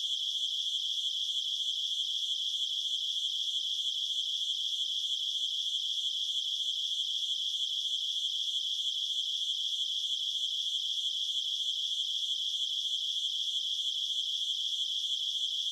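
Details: Night cricket chirping in an unbroken, high-pitched pulsing trill, roughly three pulses a second and evenly spaced, with nothing else heard beneath it.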